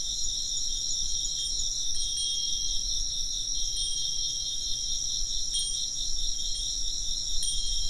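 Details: Chirping insects keep up a continuous shrill, finely pulsing trill, while a wind chime rings out in brief bright tinkles every second or two over a soft low rumble.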